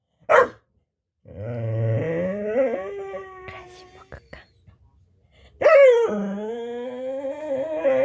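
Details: Chatty pet dog waiting for a snack, one sharp bark followed by long drawn-out whining, grumbling moans that rise and fall, then another loud yowling moan that trails off.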